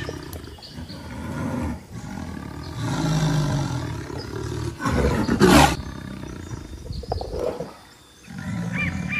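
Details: A jaguar, while carrion is being offered, roars in a series of deep, coarse, rasping bursts, each a second or two long with short pauses, and people talk nearby between the roars.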